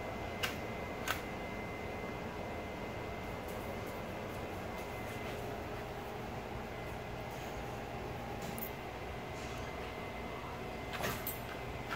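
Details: Steady fan-like hum in a small room with a faint constant tone and a few soft clicks, no animal sound.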